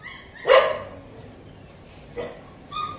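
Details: A 15-day-old Kanni puppy in Coimbatore gives two short, sharp yapping barks about a second and a half apart, with faint thin whines at the start and end.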